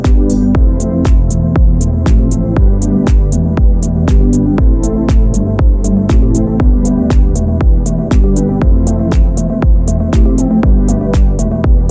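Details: Electronic dance music with a steady beat of about two per second and heavy bass, with no animal sound.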